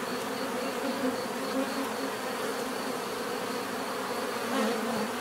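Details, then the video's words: Natural buzzing of a crowd of bees, a constant low hum thickened by individual insects drifting closer and away, with a faint high steady tone above. "bees therapy relaxing natural buzzing sound"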